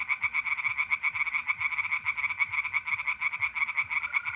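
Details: Pond tree frogs at night, mid-April in north-east Italy, calling in a thick, rattling chorus of quick repeated croaks; a mole cricket trill enters faintly at the end.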